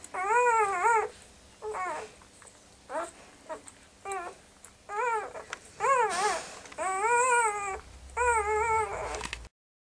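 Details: Puppies whimpering and whining: clear, tonal cries with wavering, arched pitch, each lasting under a second, repeated about eight times in ten seconds with short pauses, rising in intensity toward the end; no other clear sounds.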